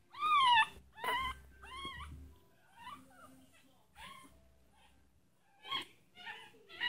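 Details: Tiny purebred Chihuahua puppies howling: three loud arched wails in the first two seconds, then quieter scattered whines, and a closing burst of high yelps with faint room noise between calls.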